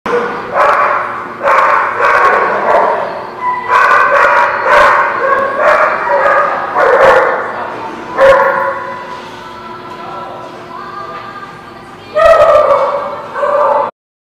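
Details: Dogs barking loudly and almost continuously, recorded 26 August 2016, with rapid overlapping barks and yips, a brief lull near the end, then a final burst of barking before the sound cuts off.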